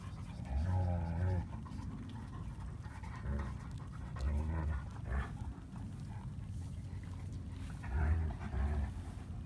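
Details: German Shepherd puppies, all male, just after eating, heard in soft whimpers and pants at intervals, with a low rumbling background and brief faint human voice.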